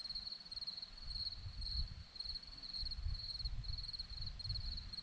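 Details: Crickets on a hillside at Zorlesti, Romania, keep up a high, thin trill broken into rapid even pulses, with a low rumble of wind or handling underneath.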